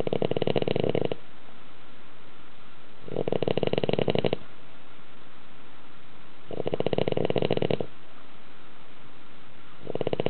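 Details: Dog snoring in deep sleep inside a house, its snores compared to a middle-aged man's roar; four rattling, buzzy snore bursts, each about a second long, spaced roughly three seconds apart.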